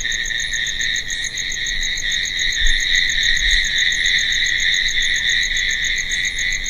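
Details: Night chorus of crickets, a continuous high buzzing trill with a thin, rapid pulsing chirp layered above it, swelling slightly near the middle; nothing else is heard.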